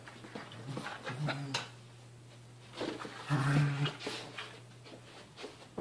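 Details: Two dogs play-wrestling indoors, Mochi the seven-month-old puppy jumping on her 1.5-year-old big brother Churro: low rumbling growls in short bursts near the start and again mid-clip, with scuffling and a faint human voice in a small room.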